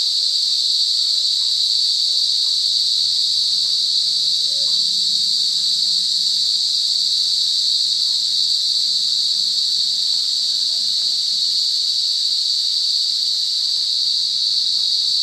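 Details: A forest rings with the loud, continuous buzzing of cicadas, a flat high-pitched drone sustained over fifteen seconds, with a faint low rising hum in the background.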